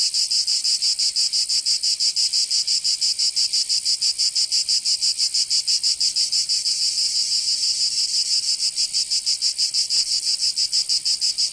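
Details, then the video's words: Provençal summer cicadas, southern France, producing a loud, piercing buzzing chorus that throbs in a very regular rhythm of about three beats per second, with one faint click near the end. "Canto Cigarra"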